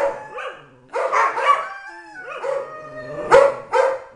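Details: Happy yodeling bursts from Tyson, a three-year-old Dobermann kept at home with three other dogs: strained, warbling cries separated by brief pauses, a soft sliding whine in the middle, then two loud yelping bursts.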